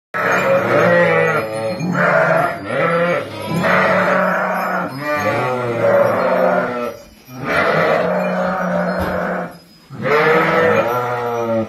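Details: Sheep for sale in Kafr al-Labad, Tulkarm: ten ewes with four lambs. Loud, quavering bleats with rich harmonics, several overlapping callers calling in long bursts separated by short pauses.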